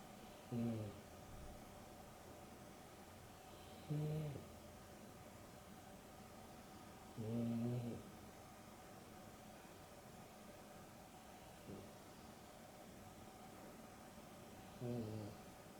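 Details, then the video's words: Dexter and Rio, a Boston Terrier and a Beagle cross, take an afternoon nap indoors, with Dexter snoring. Deep, rasping snores repeat about every three to four seconds, each a short harmonic-rich rumble, with faint quieter breaths between. "Boston Terrier and Beagle X (Dexter and Rio) snoring"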